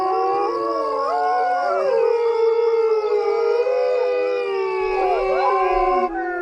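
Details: Coyote group howl: sustained, overlapping tones, some holding steady while others bend downward and rise again, forming a thick unbroken chorus.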